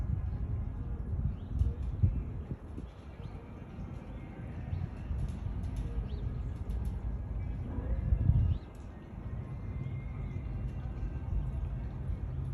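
An African lion gives deep, rumbling growls and snarls, with a louder gruff burst near the end.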